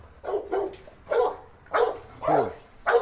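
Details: Dog barking as Musso confronts a pitbull that had bitten, loud sharp barks repeated about every half second, five barks in quick succession with a short gap before the last, little background noise.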